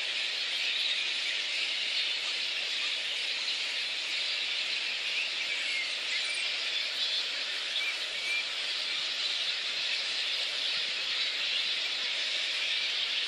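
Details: Little red flying foxes at their roost in Boonah, Queensland, Australia, 19 February 2014, before the dispersal by council and contractors. A dense, unbroken wash of high squeaky chatter from many bats fills the clip, steady throughout.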